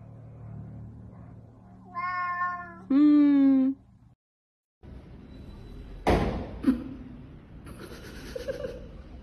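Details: Domestic cat that has been attacking and biting its owner lets out two harmonic meows, the second long and strained, followed by silence, then a clatter, a short cry and a woman's voice in a small room.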